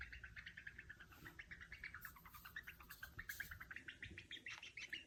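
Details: Lone pet mother Djungarian hamster making contented sounds while held or fed by her owner: dense, fast trains of short squeaky chirps repeated several times a second, with light rustling underneath.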